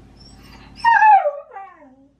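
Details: Baku, a Shiba Inu, wailing for a morning walk in the autumn love season; one loud descending howl with a brief dip, then a quieter sliding whine fading out.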